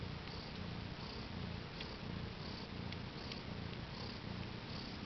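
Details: Domestic cat mother purring beside her four newborn kittens, born April 22nd, 2010 around 10am CET: a steady, low rumbling purr pulsing in a continuous rhythm, with faint soft clicks and small noises above it.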